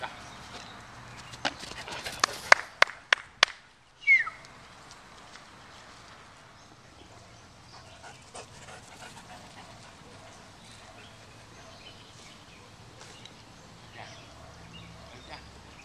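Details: Solid black German Shepherd dog during preliminary bite-work practice, playing outdoors: a cluster of sharp, loud bursts between about 1.5 and 3.5 seconds, then a short rising high whine near 4 seconds, followed by quiet outdoor background with faint scattered clicks.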